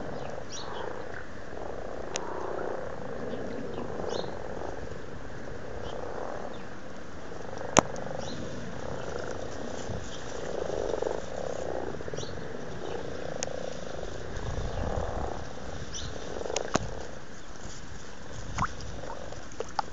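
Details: Pond in Blarney, County Cork, Ireland, in February 2012, crowded with very amorous frogs: a long, soft, rolling chorus of purring croaks rising and falling, with occasional sharp clicks and light splashes.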